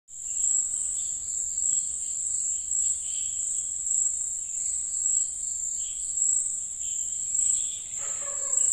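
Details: Crickets on a coffee tree at night keep up a steady, very high-pitched ringing trill with softer chirps beneath.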